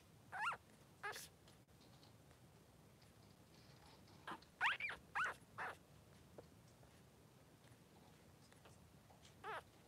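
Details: Short, high squeaks and whimpers come in small clusters from newborn Cavalier King Charles Spaniel puppies, two Blenheim boys aged three days, resting with mother Pom-Pom in their pen; quiet pauses between bursts.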